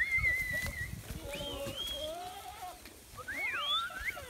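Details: Domestic goats of a kept herd coming back from pasture: several overlapping wavering bleats, some quavering level, others rising then falling, calling over one another in quick succession amid outdoor rustle.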